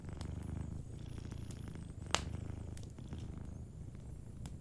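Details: Cat asleep by a cozy fire, purring in a continuous deep vibrating rumble; wood crackles tick throughout and one loud pop sounds near the middle.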